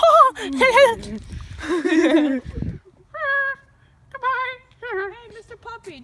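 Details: Dogs 'talking' to a familiar person: wavering, voice-like moans and whines open the recording, then after a short pause come several brief, bright, harmonic yips and whines repeated roughly every second.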